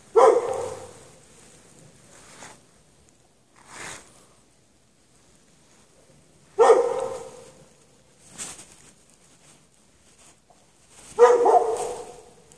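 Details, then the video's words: Dog chained out in the snow at night with no shelter for hours, from 8 PM past 11:30 PM, 3 March 2014; three loud barks with echoing tails spaced several seconds apart, softer bark-like sounds between them. "Dog barking chained out in the snow"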